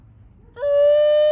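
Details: A captive New Guinea singing dog at the Colorado Wolf and Wildlife Center gives a clear, pure howl that swoops up and then holds steady.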